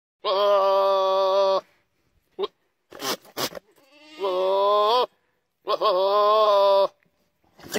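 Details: Goat giving long, wavering, nasal bleats of over a second each, three main calls separated by pauses, with short clipped sounds between them.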